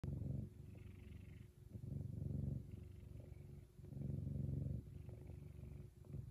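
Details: F2 Savannah cat named Kumba, happy and purring very loudly; deep rumbling purr in long swelling phases roughly every one to two seconds, with softer stretches between the louder pulses.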